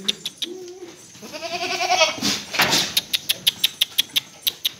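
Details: Breeding buck goat at a farm in Paschim Medinipur, West Bengal, India: a short low grunt, then a rising, quavering bleat, followed by a fast, regular train of sharp ticking clicks.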